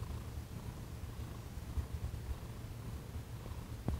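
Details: Thomas the cat purring while receiving massage and Reiki on December 28, 2021; a steady, low, rumbling purr runs unbroken through the whole stretch, with a faint rustle and one soft click near the end.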